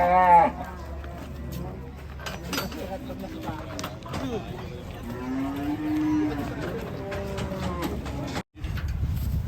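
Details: Agitated cattle in a raging state give a drawn-out, steady low moo midway through, amid overlapping human voices, clatter and a brief dropout near the end.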